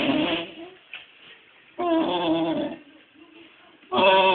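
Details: A pet dog making funny noises as if mimicking sounds: three drawn-out, voiced, moaning calls, each lasting under a second, with softer murmurs between them, recorded indoors.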